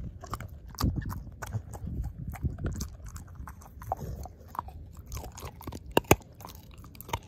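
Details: Ozzie the dog devouring a pork steak, jaw chomping on the bone; crisp cracking crunches and clicks over low wet chewing, with a sharp loud snap near the end.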